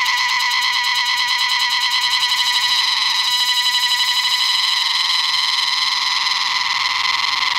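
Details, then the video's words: A cicada in North Bengal, India, sings a loud, shrill, continuous buzz with a fast pulsing throb before rain. "Cicada Singing Before Rains"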